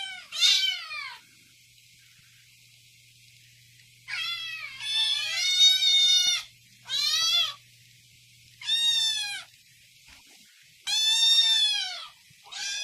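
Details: Angry domestic cat uttering sharp, high, strained meows in bursts of about one second, some longer and wavering, with silent gaps; faint low hum in the background.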